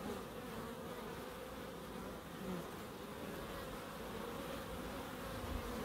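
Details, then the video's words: Soft, even droning of bees in a small end-terrace wildlife garden in Crookes, a quiet continuous hum with gentle rises in loudness. "Relaxing Bees"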